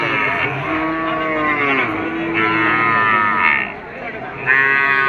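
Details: Cattle at a cattle market, a drawn-out harmonic lowing call rising and falling over about five seconds, with a second bellow near the end, amid crowd murmur and background music.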